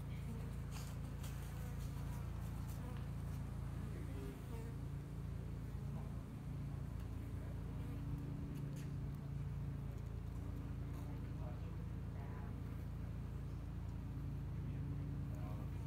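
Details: Colony of honey bees in a two-year-old Texas hive at Hickory Creek, building up in spring; continuous low buzzing drone with steady banded tones, faint scattered clicks and rustles above.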